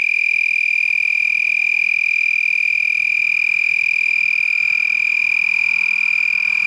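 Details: At night in San Marcos, Texas, on 8 November 2021, several lacewings buzz with wings held high over the abdomen. The loud, steady, shrill trill keeps one high pitch without pause, sounding much like a tree frog.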